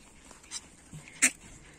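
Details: Young puppies from two litters, born to the dams Orlanda and Lana, give a pair of brief, high squeaky whimpers, the second sharper and louder, against a quiet background.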